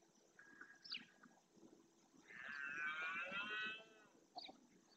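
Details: Red deer stag roaring during the rut in the marshland of Doñana National Park, Spain, males claiming territory; one long, harmonic, bellowing roar of about a second and a half, with brief faint high calls before and after.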